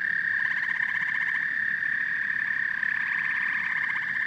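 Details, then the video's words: A chorus of frogs and toads, with buzzy pulsed trills rising and falling in quick bursts over a continuous shrill drone. Several callers overlap with no pause. "Frogs and Toads Symphony"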